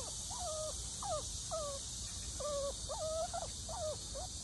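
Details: A Shih Tzu, excited at seeing a sika deer, gives a run of short, high, squealing whines, each bending up then sliding down.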